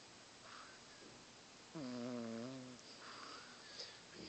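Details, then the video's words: Loud snore from a sleeping pet cat: one buzzy, harmonic, slightly wavering snort lasting about a second amid quiet indoor room sound and faint distant murmurs. "Snoring cat"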